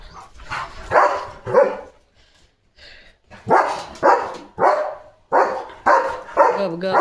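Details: German Shepherd on evening guard duty at a farm, barking fiercely to protect his area: loud harsh barks in irregular bursts, a short pause near the middle, then a quicker run of barks roughly every half second.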